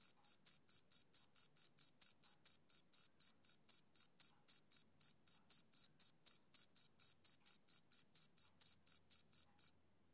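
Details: A male cricket's summer-evening chirps come fast, about four sharp high pulses per second, evenly spaced, then stop just before the end. Only a faint overtone accompanies them, with no background noise.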